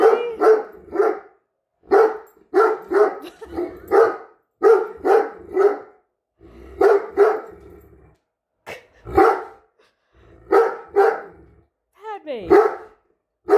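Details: A Great Dane that dislikes a measuring tape held by its owner barks in quick bursts of two or three deep, rough woofs, pausing between each volley.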